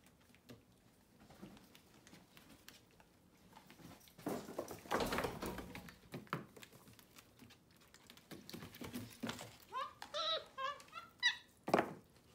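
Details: Pet capuchin monkeys MonkeyXander and Ohana eating morning oatmeal breakfast in bed indoors on a Sunday, after a bath. Quiet room noise and a human voice come first, then a quick run of high, squeaky chirps near the end.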